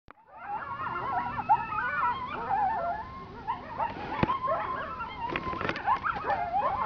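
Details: Big pack of coyotes running nearby in the Sonoran Desert of Arizona, heard from a hilltop ledge: many overlapping wavering yips and howls, rising and falling, with sharp barks throughout.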